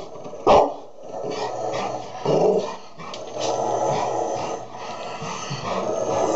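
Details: Golden Retriever and Labrador together, the Golden Retriever calming the Labrador; one loud sharp bark opens, followed by rough throaty growling and grumbling that rises and falls over several seconds.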